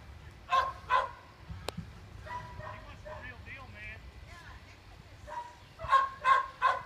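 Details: Playful Gordon Setter puppy ignoring calls to come, drawn to other dogs; two crisp barks open, then softer yelping and murmured voices in the middle, and a closing run of three quick barks.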